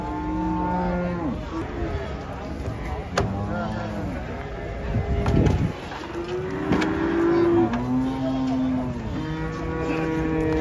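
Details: Cattle being unloaded from a truck in Indonesia, agitated and rampaging; several deep harmonic moos, some drawn out and falling, others short, overlapping across the clip, with people talking and vehicle noise in the background.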